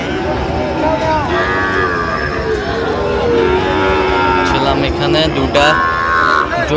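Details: Sahiwal bull calves at a cattle market in Comilla, Bangladesh, 13 November, lowing in drawn-out harmonic moos amid steady crowd chatter, men's voices and traffic noise.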